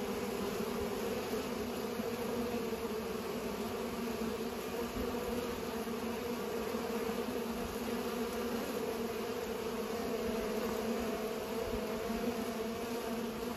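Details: Continuous buzzing of pollinating bees, a dense even hum layered in low bands around 250 and 500, no pauses or other clear sounds.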